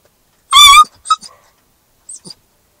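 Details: Newfoundland-Labrador mix puppy in its first week in a new home, howling in a car, unhappy at being separated from its people: one loud, short, strongly harmonic yelping cry, then a couple of faint whimpers.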